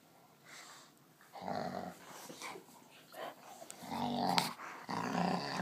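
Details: Cane Corso dog growling, one of two dogs present: low, rough rumbling bursts that rise and fall over several seconds, swelling louder toward the end, with a few harsher snarling peaks mixed in.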